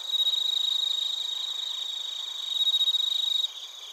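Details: Bell crickets and other crickets chirping in Narita, Chiba Prefecture, Japan, recorded with a TASCAM Portacapture X8. A dense high chorus holds steady throughout, with a loud pulsed trill near the front that swells twice and cuts off just before the end.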